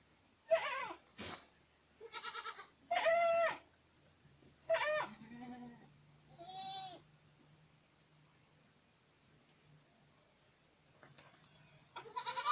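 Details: Boer goats in Acatlán de Osorio, Puebla, calling in a quick series of loud, nasal bleats over the first seven seconds, some trembling and drawn out, then near quiet with a low hum before another bleat starts.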